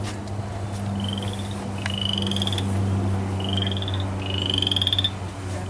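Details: Boreal chorus frog giving short, rising, pulsed trills, like a fingernail run along a fine-toothed comb; calling in spring, a sound some liken to crickets.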